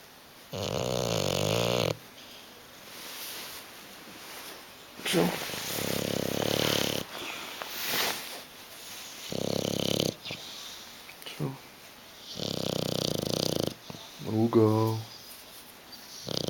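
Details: Bulldog named Hugo asleep on a sofa, unwilling to wake up or move, snores in loud rasping bursts lasting one to two seconds with quiet pauses between, while a person repeatedly coaxes him in Italian to get off the sofa.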